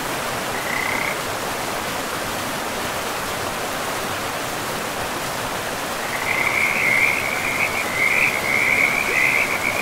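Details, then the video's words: Frogs calling beside a river in a pristine forest: a brief trilling note near the start, then from six seconds a continuous rattling croak chorus over steady rushing river water. "River and Frogs sleep sounds"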